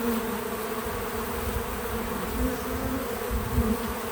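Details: Bees around a feeder on a small farm, heard as a steady humming drone with short brighter swells as individuals fly close, over soft low-pitched rumbling and rustle; no speech or music.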